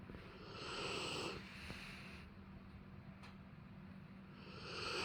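A Rottweiler snores in its sleep, each breath a low, raspy rumble that rises and falls. The loudest snore arrives about a second in, and another builds toward the end.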